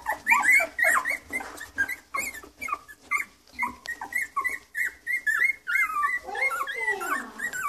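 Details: Pet Miniature Schnauzer indoors giving a long run of high, wavering whines and yelps, short sliding cries repeated several times a second, rising and falling in pitch, with a few squeakier drawn-out notes near the end.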